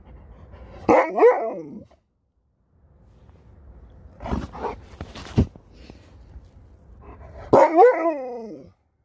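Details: Sherpa the dog makes two wavering, yodel-like barking cries about six seconds apart. Shuffling and clattering noises fill the gap between them.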